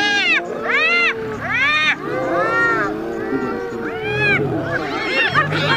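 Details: Hyenas battling a lion for food give separate arched, bright wailing calls with short gaps, later joined by fainter chattering cries, over soft low background music.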